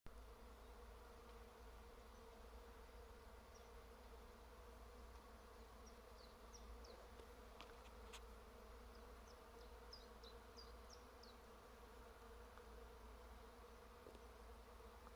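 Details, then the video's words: Bees humming in flowering trees: a dense, steady drone with a strong mid-low band that holds unbroken for the whole stretch, with faint short high chirps of small birds around the middle. "Дерева гудуть!"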